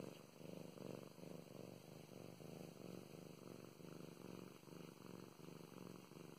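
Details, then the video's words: Contented purring by Mow Mows, a domestic cat being petted indoors; soft buzzing rumble pulsing quickly and evenly, breath-linked throbs continuing through the whole stretch, no other sounds besides faint background hiss. "Five minutes of purring and petting"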